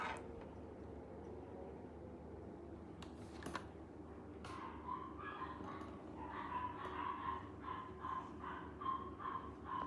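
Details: Male Maltipoo, offered through a Japanese breeder site, giving a run of short, tonal, whining yelps repeated about twice a second in the second half, after a few sharp knocks and clicks at the start; quiet indoor background.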